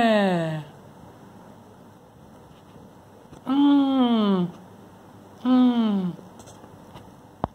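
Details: Kitten Timmy, disturbed while sleeping, meows three times: a fading call at the start, then two loud, falling, drawn-out meows about two seconds apart, ending with a sharp tap.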